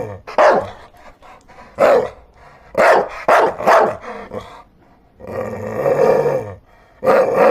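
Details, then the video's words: Dogs barking: loud, rough barks in clusters, a sustained harmonic growling note in the middle, and another bark at the end, with low background rumble. "Dogs barking sound"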